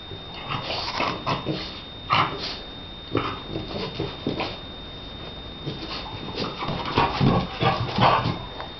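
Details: Donna, a Shar Pei, at play, giving a rapid series of gruff, throaty growls and grunts in uneven bursts, louder toward the end, over a thin constant high-pitched tone.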